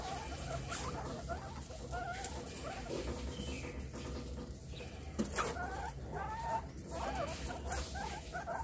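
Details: Guinea pig giving short rising squeaks and chirps, repeated irregularly with a brief pitch wobble, over a steady low hum and some clattering handling noises.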